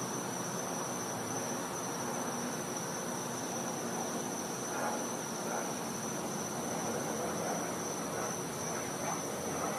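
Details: Steady high-pitched cicada drone from a Florida back yard on a winter night, continuous and unchanging, with soft swells of low rumbling background noise partway through.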